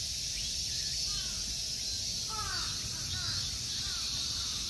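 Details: Tokyo temple park at Ikegami Honmonji, Japan, in summer: a constant, high, sizzling drone of insects, with a run of clearer descending bird notes around the midpoint repeated several times.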